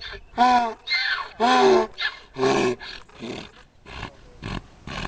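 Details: A donkey in a field beside a fishing spot in Cherokee, North Carolina, brays when someone approaches the fence: loud harmonic honking bursts alternating with wheezy breaths, about five pulses rising and falling in under two seconds, then softer gasps.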